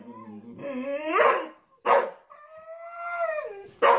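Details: Dog from a funny dog compilation giving a drawn-out, wavering howl that rises and bends upward, broken by two sharp barks, then a long sustained whine-like howl sliding downward before a final bark.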